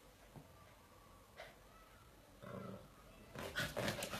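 A Bull Terrier mother disciplines her puppy with short, raspy growls and snaps that grow louder toward the end. A faint thin whine sounds briefly at the start.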